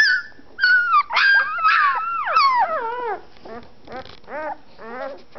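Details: A litter of one-week-old fawn Anatolian Shepherd Dog pups, eyes still closed, starting to find their voices: several high, wavering whines and squeals rising and falling, overlapping at first, then shorter yelps spaced about every half second.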